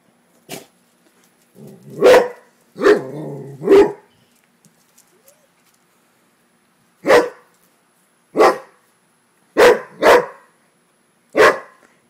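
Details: Rottweiler, a pet female dog, barking at a frog she dislikes: loud, sharp single barks, a quick run of three near the start, then four more spaced about a second apart after a pause, with a person's voice between.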